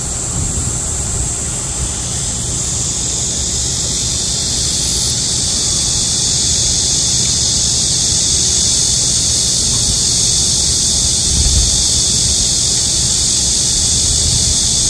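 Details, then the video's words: Cicadas in midsummer during a nationwide heatwave in Korea sing in a strikingly loud, unbroken high-pitched drone with a hissing, shimmering texture throughout. "한여름 매미소리 - 데시벨이 엄청 나네요"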